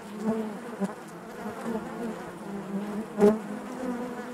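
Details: Many honey bees buzzing inside the hive, an even low hum with rippling overtones, one bee passing close just after three seconds in a brief loud swelling buzz.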